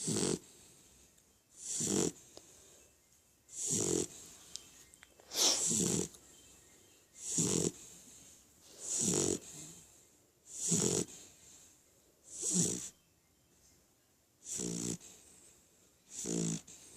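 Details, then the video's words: Ramon the Beagle as a baby, fast asleep and snoring: regular rasping, breathy snores repeating about every one and a half to two seconds, some louder and rougher than others, with a quiet room behind. "Ramon de bebe roncando"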